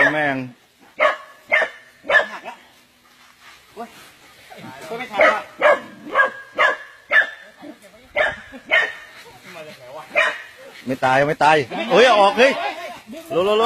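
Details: Dog that survived being caught in the jaws of a giant snake, barking in short sharp bursts repeated roughly twice a second, with brief pauses, while men's voices talk over and between the barks.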